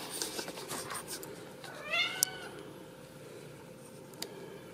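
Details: A Ragdoll kitten at a home cattery in central Kansas gives a single thin, high meow that rises and then falls.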